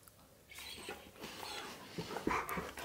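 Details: Male Siberian Husky reacting to hearing his favourite words at a reunion with his best friend, indoors; after a quiet start he gives a run of whiny, harmonic yowls that rise and fall in several bursts, ending in sharper squeaky notes.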